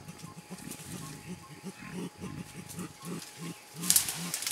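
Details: Mountain gorillas, a blackback male and a two-and-a-half-year-old youngster, playing in Bukima, Virunga National Park, Congo, April 2007: rhythmic low grunting pulses roughly three per second, with brief rustling and a sharp high click near the end.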